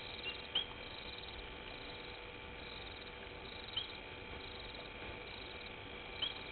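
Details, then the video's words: Painted reed frog calling at night beside Gowrie dam, Djuma Game Reserve, Sabi Sand Wildtuin, South Africa, recorded by a live waterhole camera: three single sharp high peeps spaced about three seconds apart, with steady hiss behind. "Painted Reed Frog?"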